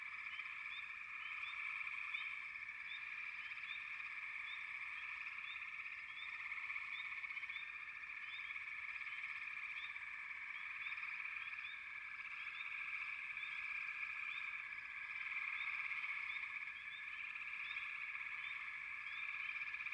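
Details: A steady chorus of many frogs keeps up a continuous buzzing hum for the whole stretch. Frequent brief upward chirps ride above it, with slight swells in loudness.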